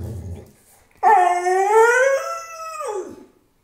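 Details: A pit bull howling to ask for food: a long sustained tonal howl of about two seconds, rich in harmonics, gently wavering then dropping at the end, with a woman's voice speaking just before.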